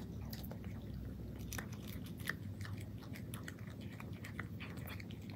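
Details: Indoor cat crunching dry kibble, with quick, dense, crackly bites following one another steadily above a low, constant background hum.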